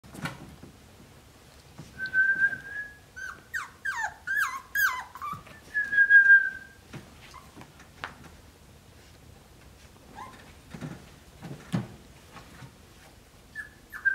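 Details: Snickers, a playful Cavalier King Charles Spaniel puppy from a litter of five, gives high, thin whines and descending whimpers in a quick run between two and seven seconds, then a few brief whimpers and soft knocks later.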